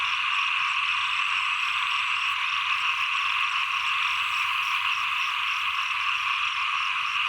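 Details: Frogs heard as the rains end and the cold season begins. A continuous, even wall of high-pitched croaking trills holds for the whole stretch, with a quick, fainter pulsed note layered above it.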